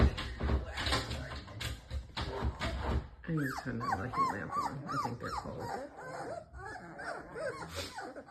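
Presa Canario puppies make soft, arching whimpering coos as they settle toward sleep.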